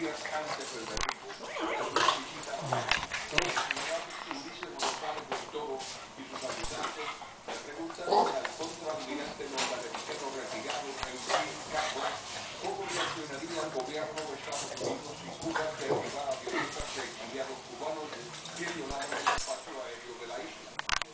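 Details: Boston Terriers (Canis familiaris) growl, grunt and whine in quick, scrappy bursts while playing rough with a small feisty female Boston, with a person talking now and then.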